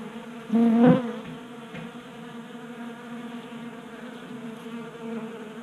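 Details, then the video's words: Honey bees at a 3D-printed feeder on a workbench in a Colorado garage, January warmth; one bee zooms close early with a loud, rising buzz, then the quieter steady hum of the others continues. "45 Minutes of Honey Bees Feasting from 3D Printed Bee Feeder ASMR"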